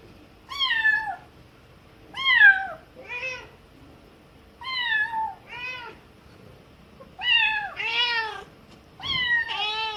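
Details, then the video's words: Young kitten crying as its mother cat educates it, the mother replying in between; clear harmonic meows in pairs and clusters, some bending downward, with quiet gaps between them. "엄마고양이에게 교육 받는 아기고양이 울음소리(The sound of a baby cat being educated by its mother cat)"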